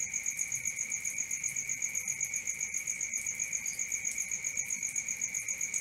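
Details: Crickets at night: a steady high shrill drone runs beneath rapid pulsed chirps repeating about four times a second, even and unbroken, with one faint brief higher note midway and no other sounds.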